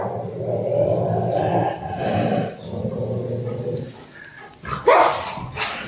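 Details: Angry pet Rottweiler Roxy lunging at its owner: a low, rumbling sustained growl for about two seconds, quieter muffled noises, then a sharp short yelp-like burst near the end, with handling sounds.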